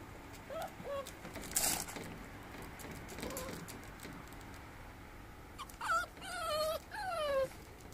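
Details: Rottweiler × Olde Bulldog mix (classic bully) with a few faint whines and a knock early on, then a burst of clear, high, falling whimpers, each drawn out and quavering, toward the end.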